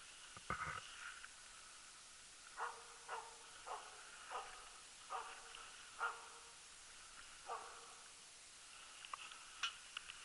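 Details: Jämthund Lillsjöhögens Rapp, a loose hunting dog on an elk hunt in 2012 that took the tenth elk: about ten distant barks, each a short harmonic yelp, repeated every half second to second over steady background hiss.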